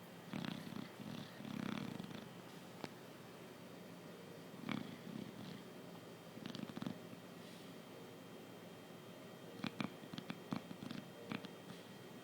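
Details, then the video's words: Chow Chow snoring while asleep indoors: soft, low, rumbling snores come in irregular bursts every second or few seconds, with scattered sharp clicks and knocks in between. "the Chow Chow snores"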